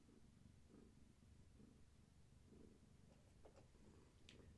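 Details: Gaia, a pregnant long-haired tabby cat carrying many active kittens, rubbing against a person indoors: soft low rumbling purr swelling and fading about once a second over steady background hiss, with a few faint clicks.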